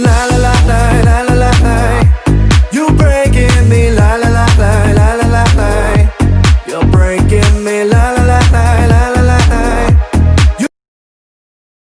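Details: Loud rhythmic dance music with a steady beat plays until it cuts off near the end, followed by silence; no animal voice is heard.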